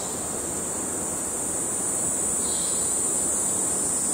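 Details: Male cicadas in Kerala, India producing an unbroken, intense high-pitched drone that holds steady the whole time, with a soft background hiss and a faint brief burst midway.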